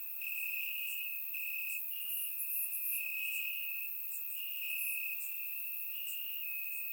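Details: Night chorus of crickets in summer grass, Bulgaria: a steady high trill in long pulsed runs separated by short breaks, with softer buzzing chirps above from more distant insects, captured on a surround microphone on a warm evening.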